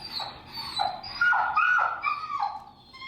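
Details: Very vocal feral dog during a training class in Chicago, leashed and being introduced to an e-collar, gives a rapid run of high, nasal whines and yelps that rise and fall, about eight in three seconds, with quiet room noise behind.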